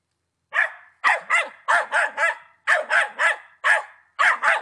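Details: Patterdale Terrier at ten months old, from the Czech Republic, giving a steady run of loud barks, often doubled, each bark short and clipped, about two per second, on a quiet background.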